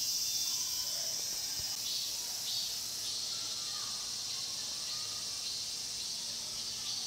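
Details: Pine grove cicadas at Cheongsong's Mokgye, Korea, filling the air with a constant shrill buzzing drone; scattered faint bird chirps and a soft knock are heard beneath.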